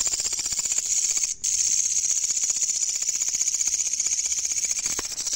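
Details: Night recording of a loud katydid: a shrill, pulsing high-pitched buzz, briefly broken by a short gap early on, then continuing steadily to the end.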